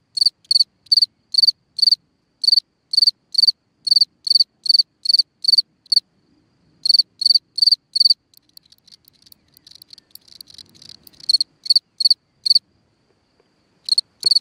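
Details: Cricket singing at night from a hole in the ground: high, bright chirps of a few pulses each, repeated about every third of a second in steady bursts, with a brief pause and scattered soft rustling midway.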